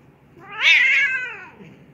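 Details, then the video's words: Angry mother cat indoors after her tail is touched: one loud, high, harsh meow, rising then falling and lasting under a second, with a faint quieter trailing note. "Don't touch my tail!! Mama cat angry"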